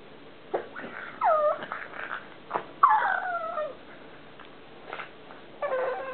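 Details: Columbo, a pet pug at play, gives two short downward-sliding whines with a pause between, then a brief wavering whimper, among soft snorts and breathy noises.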